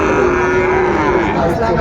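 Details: Sahiwal bull calves at Raniganj cattle market, Dinajpur, on 13 March 2025 as trading begins; a sustained, steady low moo runs through the clip over market chatter and crowd noise.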